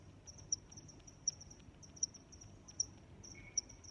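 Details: Five crisp, high cricket chirps spaced about three-quarters of a second apart, with softer chirping from other crickets filling the gaps; quiet low background noise.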